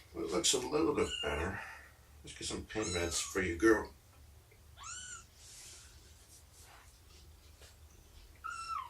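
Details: Shelby, a rescued mother cat estimated at 2 years old, on the morning of 2017-09-24 during nursing and play time. Human speech fills the opening seconds, followed by two separate, clear, arching meows.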